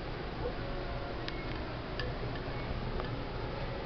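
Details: Indoor room noise with soft clicks and taps at about one-second intervals and a faint hum, with no barking or other animal voice.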